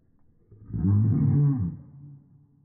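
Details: A Samoyed, unhappy as its owner says bye-bye, gives one deep, drawn-out bark that swells and fades over about a second.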